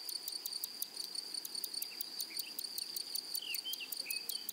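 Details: Flowery meadow grasshoppers give quick, evenly spaced dry ticking pulses above a continuous shrill whine, while brief faint bird whistles slip in midway.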